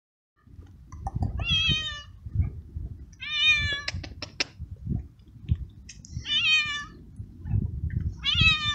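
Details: Abandoned male street cat in heat, fed for weeks in a garden, meowing loudly for a female and asking for food; three strong harmonic meows, each about half a second to a second long, over low rumbling background noise and clicks.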